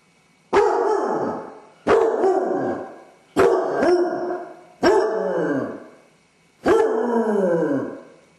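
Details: Dodger, a basset hound alone indoors with separation anxiety, bays and howls: five loud, mournful calls spaced about every one and a half seconds, each a sharp onset sliding into a long downward-falling wail, some doubled.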